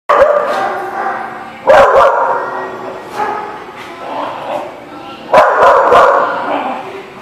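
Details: Several dogs barking together in a loud, busy chorus, with overlapping bursts of barks around two, three and five seconds and continuous yapping and voices underneath.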